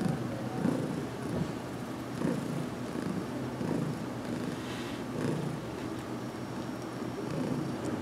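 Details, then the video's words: Heidi, a cat in her first weeks in a new home, purring while receiving a head massage in a closet on June 6, 2019; a low, steady rumbling purr with soft pulsing throughout and faint background hiss. "Heidi's First Massage Video"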